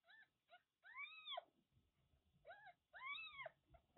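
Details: High, rising-falling mews from month-old kittens of a stray mother's litter of five in Kagoshima, Japan; two clusters of clear arched cries, each with a short lead-in mew, separated by a quiet gap.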